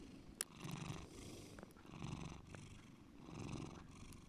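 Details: Deep purring from the domestic cat Bear, a steady low rumble rising and easing with each breath, roughly three swells in a few seconds, with a sharp tap near the start.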